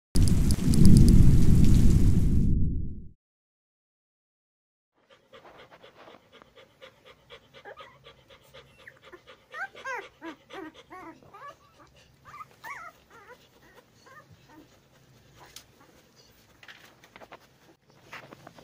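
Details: Ten-day-old Labrador Retriever puppies: after a loud low rumbling burst and a short silence, a rapid run of thin, wavering squeaks and whimpers rises and falls, some with bent, sliding pitch, clustering busiest in the middle stretch.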